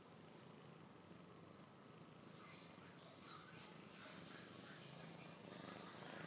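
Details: A six-month-old domestic kitten purring steadily: a soft, continuous low rumble with a fast even pulse throughout, gently growing louder toward the end, with faint hiss in the background.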